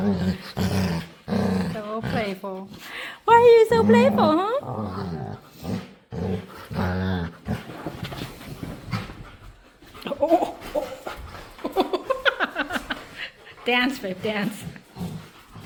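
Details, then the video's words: A playful pet dog begging to play indoors and making odd noises: several wavering, sliding whines and groaning yowls in short bursts, mixed with a person's coaxing speech in a small room. "Cutest Dog Begs To Play | Adorable Dog And Human Compilation Video | Playful Dog Makes Weird Noises"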